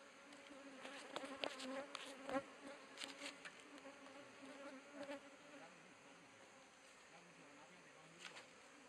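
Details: Asian honey bees in an opened log hive in Thailand, 2011; continuous droning buzz of the colony with scattered clicks and knocks from handling the hive.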